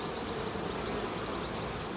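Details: Honey bees left on top of a queen excluder during a hive inspection give a steady, low, droning hum as they react to a tiny drift of smoke.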